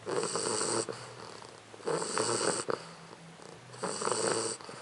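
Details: Four-month-old English Bulldog puppy Leona asleep and snoring, three raspy, breathy snores about two seconds apart, each a buzzing rattle with a hissing edge, separated by softer in-breaths.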